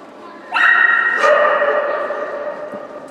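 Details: Shetland Sheepdog giving one long, sustained, strongly harmonic howling cry. It starts abruptly after half a second, drops in pitch around the one-second mark, and fades slowly over about two and a half seconds.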